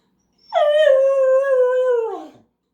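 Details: Pet dog howling when left behind during a trip to the mailbox; one sustained, clear mournful tone with rich overtones, nearly level for about 1.8 seconds before sliding down and trailing off into a brief low grunt.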